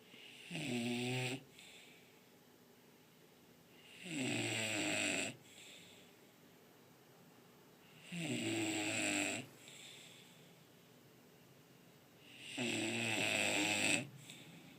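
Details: A female English Bulldog snores in loud, rasping bursts about every four seconds.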